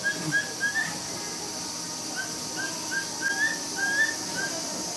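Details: A frightened mother capybara at Nagasaki Bio Park, with babies just over 4 weeks old, cries in brief, thin, high whistled chirps in irregular bursts over a faint hiss. She was terrified by a film crew entering her small enclosure.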